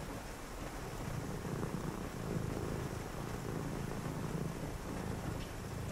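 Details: A cat purrs steadily on a rainy night, a soft low rumbling pulse under the broad, even hiss of falling rain.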